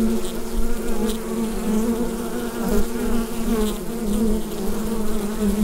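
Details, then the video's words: Hum of a bee hive captured with a Rode NT-USB microphone, a continuous low drone that swells and eases gently in loudness, with a thick buzzing layer holding throughout. "Bee Hive Sound Effect"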